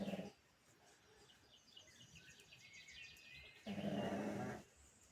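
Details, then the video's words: A sleeping pug snoring: two rough, low breaths, one short at the start and a longer one near the end. Twittering songbirds fill the quiet gap between them. "The day in the life of my dog snoring. Pugtacular"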